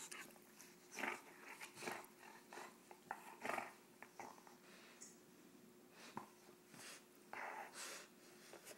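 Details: Roxy, a female pet bulldog, teased into play and showing her teeth, gives irregular bursts of breathy snorts and rough, short growls, some close together and some spaced a second or more apart, with quiet pauses between.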